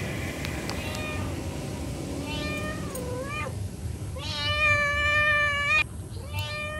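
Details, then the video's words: A mother cat calls to her kittens. A couple of softer meows lead into one loud, long, richly harmonic meow that drops off abruptly, over a continuous noisy background. "SUARA INDUK KUCING MEMANGGIL AANAKNYA"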